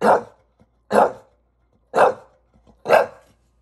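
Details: English Bulldog in New York City, frustrated by a ladder, giving four gruff, low barks spaced about a second apart, each a short rough burst, in otherwise quiet surroundings.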